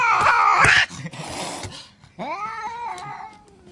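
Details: Angry cat screeching a harsh, high, noisy yowl, followed by hissing breath, then a rising drawn-out moaning howl that levels off and fades.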